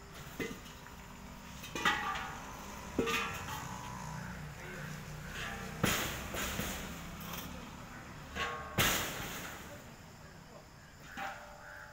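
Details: Knocks, creaks, clangs and faint murmured speech, with no clear animal voice.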